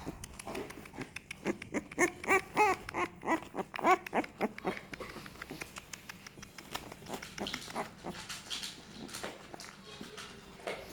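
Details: Young American Staffordshire Terrier pups of a second litter, crawling about and becoming more active. Brief high squeaky whimpers come in the first four seconds, then give way to busy clicking and rustling from the moving litter.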